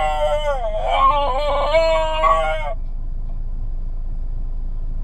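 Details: Basenji singing in a car, reluctant to go home: a loud, wavering, harmonic yodel-like howl that rises and falls for nearly three seconds, then breaks off, leaving only the low hum of the car engine.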